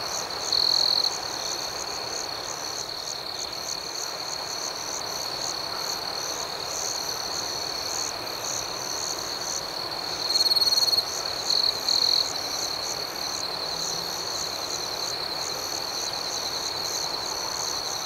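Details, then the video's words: Nighttime cricket chorus outdoors: a constant shrill ringing tone underlies rapid pulsed chirps, while a nearer cricket breaks in with loud trilled bursts, one brief near the start and a longer cluster around the middle. "Soothing Cricket Sounds"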